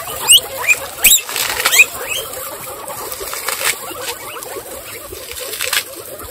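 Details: Excited female guinea pigs from a group of 26, standing up and wheeking: several short, sharp rising whistled squeaks in the first two seconds, then softer rustling and pattering with a few faint squeaks.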